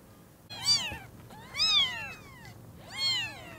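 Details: Three loud, sharp kitten meows spaced about a second apart, each a bright arching squeal that swoops up and drops away, as newborn kittens with freshly opened eyes first meet their mother cat.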